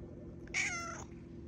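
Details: A single bright meow from Malia, the cat rousing her owner early; it starts high and slides slowly downward for about half a second, with a low steady hum underneath.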